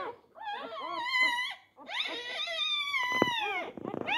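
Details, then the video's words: A newborn Labrador Retriever puppy, four days old, struggling for a teat, lets out two long drawn whining wails, each holding steady before sliding lower, then sputtering squeaks at the end. "Die Labrador Welpen am Tag 4. Kampf um die Zitzen."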